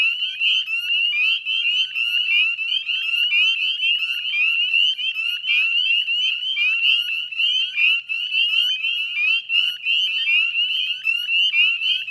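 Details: Many Northern spring peepers sing together on a May evening in 2020 at West Chezzetcook salt marsh, Nova Scotia: shrill, rising single-note peeps pour out densely and continuously, like a ringing, jingling sheet of whistles.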